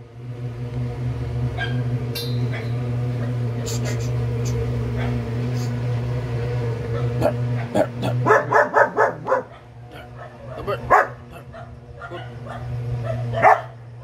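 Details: Gabbar, a four-month-old double-coated German Shepherd puppy, barks in a quick burst of sharp yaps midway, then adds a few more isolated barks over a steady low electrical hum, with faint voices in the room.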